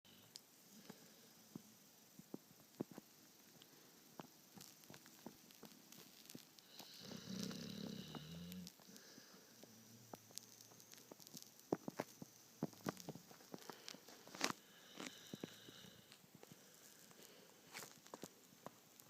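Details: Mason, a dog, sound asleep and knocked out, snoring softly in a small indoor room: a long low rasping breath around the middle, quieter wheezy breaths around it, scattered clicks and small rustles throughout.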